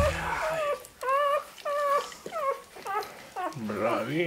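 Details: Rottweiler puppies under 60 days old, still with their mother and littermates at a home breeder in Sicily, give high, wavering whines in short repeated bursts, with a lower voice near the end.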